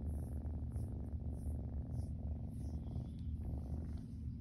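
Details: Little kitten flopped on its back enjoying belly rubs, purring continuously in a low, even, throbbing rumble, with light rustling and brushing sounds on top.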